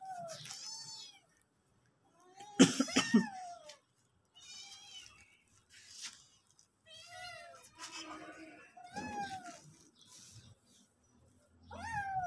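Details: Pet cats and kittens, hungry and moving toward the kitchen, let out a run of loud, clear meows, some falling in pitch and some rising, spaced by short pauses, with one harsh burst near the start.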